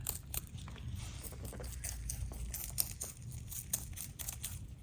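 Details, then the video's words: Pet rabbits HuanHuan and LeLe munching greens, veggies, grasses and flowers: rapid crisp crunching and tearing bites repeated several times a second, over a low background hum. "Sound of bunny munching greens"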